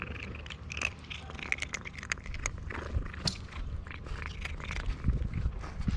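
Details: Cherry, a stray cat in Istanbul, purring loudly while eating food she was given; a steady low rumbling purr runs under frequent sharp chewing clicks and crunching bites.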